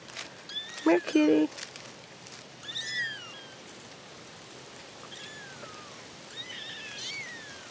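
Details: Newly discovered kittens, a litter of four, mew in high, drawn-out arcs that rise and then fall. There are three clear cries spaced about two seconds apart, after a loud short rustle and thump near the start.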